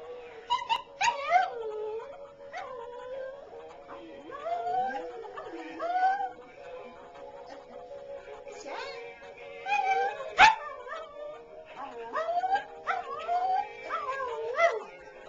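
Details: Pet dog at home howling along with a little stuffed toy dog that plays music: wavering, rising and falling howls and whines laid over the toy's steady tune, with a sharp clatter near the middle.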